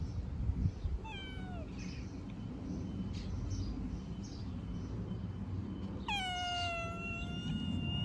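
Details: Young homeless street cats being fed give two meows: a short falling one near one second, then a longer, loud, harmonic-rich meow from about six seconds, over steady low traffic-like rumble.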